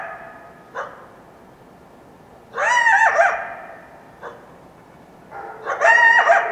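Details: Wild coyote at dawn after a full moon night in the foothills of the Washington Cascades, giving two bouts of high, wavering yelps that bend up and down, separated by a few seconds of quiet with faint brief sounds.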